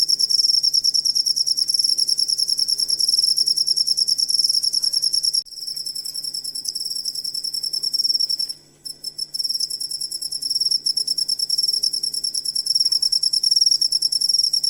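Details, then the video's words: Cricket song meant as a master recording for songbirds: high rapid pulses at about three per second, with a brief drop in loudness near the middle before the steady trill resumes. "Asli Ampuh Suara Jangkrik Buat Masteran Burung Kicau"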